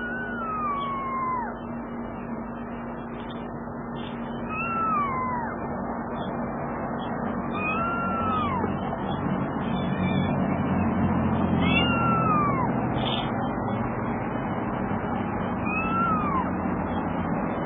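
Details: Mother cat rescuing her little kitten: loud, high meows that slide downward, repeated about every three to four seconds, over a steady low hum.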